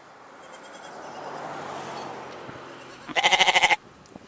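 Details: Goat giving one short, loud, wavering bleat near the end, with rapid pulses, after a few seconds of low background rustle.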